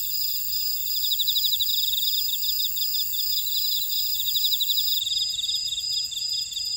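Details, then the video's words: Grassland insects in a buckwheat field at Ora-dong, Jeju-si, on volcanic Jeju Island, South Korea: a dense, steady high-pitched chorus of trilling chirps in pulsed bursts, several overlapping callers forming continuous bands with no other clear sounds. "제주 메밀밭의 풀벌레 소리"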